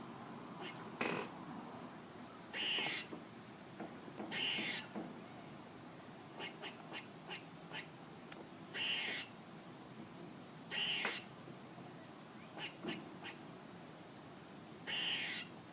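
A squirrel gives sharp, high chirping calls, repeated every couple of seconds with faint clicks between.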